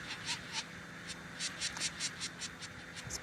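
A sand wasp's wing vibration: short, dry, high-pitched buzzy bursts in an uneven run, two or three a second, sounding mechanical over a faint steady hum.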